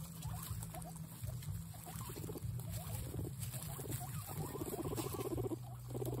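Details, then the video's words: Excited guinea pigs making short, stuttering pulsed chirrups in repeated clusters, some slightly higher and squeakier, with a constant low hum underneath. "Exited Guinea pigs make noises"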